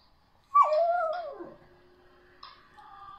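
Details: Pet dog singing: a drawn-out, tonal, whining howl that starts high, dips, wavers, then slides down and fades, followed after a pause by a softer, steady high whine.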